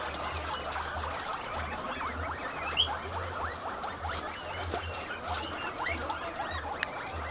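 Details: Domestic guinea pigs in a Peruvian breeding pen, where an improved Inti-line male in heat is mating with an improved Peru-line female. A dense chatter of short, overlapping squeaks and chirps runs throughout over a steady low electrical hum.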